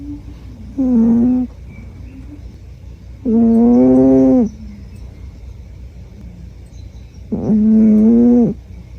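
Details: Sleeping female Scottish Fold Myu, brown and white, born 23 February 2009, gives three long rasping, harmonic snores of about a second each, spaced roughly three to four seconds apart, over a quiet low background hum.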